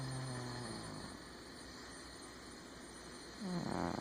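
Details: Sleeping domestic cat snoring: a low, breathy rumble with a brief tonal hum at the start, fading into soft airy breathing, then a louder, rougher in-breath swelling near the end.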